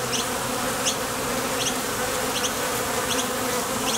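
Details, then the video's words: Many bees leaving and landing at a Top Bar Hive entrance on nectar trips make a continuous droning buzz, even in loudness, with short high ticks recurring about once a second. "Bees Sound Effects"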